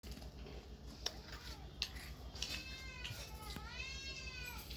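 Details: Cats and kittens meowing: a few faint clicks, then two drawn-out harmonic meows, the second arching down in pitch, over a steady low hum.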